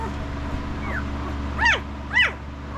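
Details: Five-day-old Estes puppy squealing: a faint descending whine, then two loud arched cries, each sweeping up and quickly down, about half a second apart, over a constant low electrical hum.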